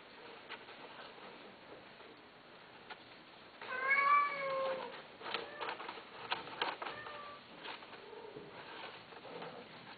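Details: Domestic cat giving one loud, clear meow that rises and then falls, followed by a softer short meow, against a steady background of light pattering and tapping.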